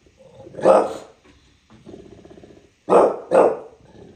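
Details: Bulldog in New York City lets out a single sharp bark, grumbles low for a moment, then fires off two quick barks in succession.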